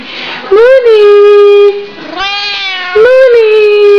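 A Siamese cat calls with two long, insistent meows, each starting with a quick upward swoop and then holding a strong, harmonic-rich tone. A person's voice murmurs faintly between the calls.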